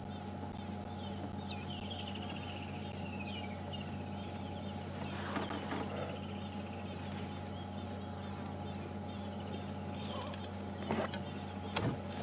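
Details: Insect heard from a parked safari vehicle at a wildlife sighting at sunset in December 2014, among elephants; a very high, steady buzz pulsing about twice a second, with low engine-like rumble and scattered clicks and rustles.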